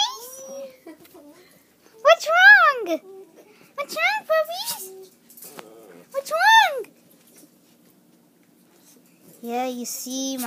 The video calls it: My little puppy's or howling